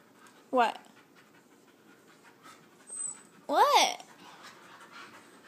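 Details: Husky–Chihuahua–Lab mix pup vocalizing while wrestling: two short arched whining yelps, one early and a louder, longer one near the end, over a faint background hiss.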